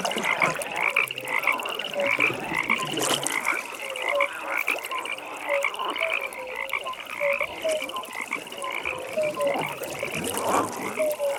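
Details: Frogs at a night pond: a busy chorus of rattling pulsed trills runs throughout, with scattered short, lower croaks and occasional soft splash-like knocks.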